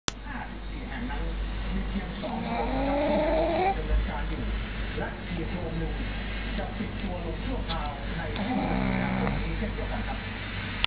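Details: Bajang, a female pet pug, asleep and snoring comfortably in a beanbag, her favourite spot; a low, steady rumbling snore runs underneath, with a few soft voiced sounds rising and falling in the middle and near the end.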